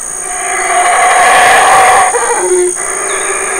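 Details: Large male black howler monkey calling in the Community Baboon Sanctuary, Burrell Boom, Belize, while his family feeds on fig leaves and fruit: a loud, rough, sustained roar rich in harmonics that ends in lower broken growls, over a steady high-pitched drone.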